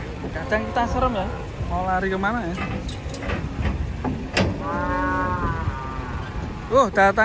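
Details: Giant cattle being unloaded from a truck amid a lively crowd; drawn-out, even low moos stand out between overlapping human voices, with shouting and vehicle rumble throughout.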